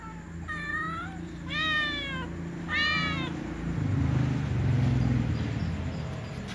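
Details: Little ginger cat meowing with a white cat before a meal shared with other cats: three loud, arched meows about a second apart, then only low rumbling background noise.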